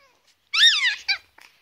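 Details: A young rescue Chihuahua puppy, kept with its brothers, gives a high, thin, mouse- or bird-like squeak that wavers for about half a second, then a shorter squeak after a brief pause.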